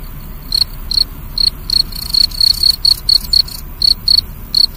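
A cricket gives short, pure, high-pitched chirps in an uneven run, sometimes paired, about two each second.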